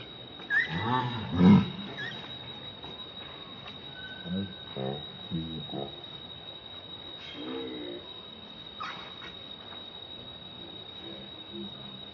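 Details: Baby monkey Leo crying and begging its mother for milk; a few low, moaning harmonic cries with pulsed, wavering notes early on, then quieter broken calls and faint higher squeaks over a steady background hum.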